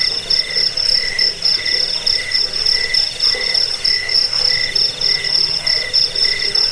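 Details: Crickets chirping for rat repelling, sleep and songbird tutoring: a sustained high-pitched ringing trill with slower, evenly spaced lower chirp bursts beneath, several callers overlapping.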